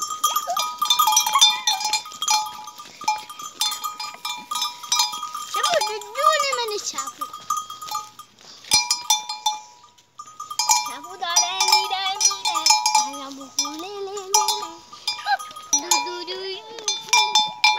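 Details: Playful farm goats in a rural village bleat in wavering, quavering bursts, the loudest near the middle and end, over constant clanking and ringing bells, with people calling and talking nearby.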